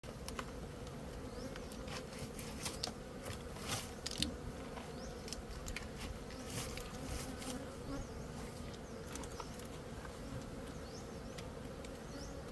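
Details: Gold honey bee; a steady low droning hum of bees runs throughout, with scattered clicks and taps over it.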